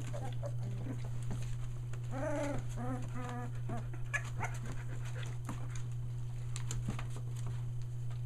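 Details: Young Aussie litter, almost three weeks old, near Mooresville, North Carolina, newly vocal: a short burst of several wavering, bleating whines packed together near the middle, then scattered faint squeaks and shuffling against a constant low hum.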